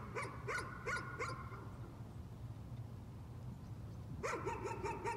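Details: Nuisance barking by a dog: four quick barks at the start, nearly three seconds of quiet with a low hum, then a sudden new flurry of rapid yapping barks.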